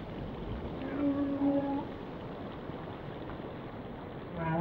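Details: Whale song: a sustained, level tonal moan with overtones holds for about a second, then softer sliding tones drift beneath a constant watery rumble, ending with a brief higher-pitched tone.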